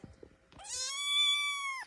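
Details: Young kitten, one of four, meowing while waiting for its bottle feed: after a few soft clicks comes a single loud, drawn-out, tonal meow, rising at the start, holding level and then cutting off.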